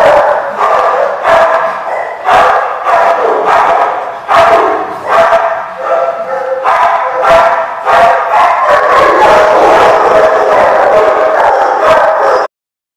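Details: Dogs at a dog park on 27 March 2015, a steady stream of overlapping barks and yips from several animals, sharp repeated bursts, ending abruptly.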